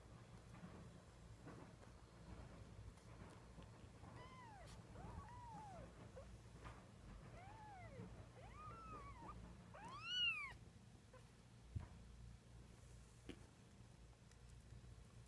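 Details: Kitten learning to walk, recorded in April 2014, giving a series of short arched mewing calls, several overlapping and rising then falling, ending in one louder, sharper meow, over a steady low indoor hum and faint rustling.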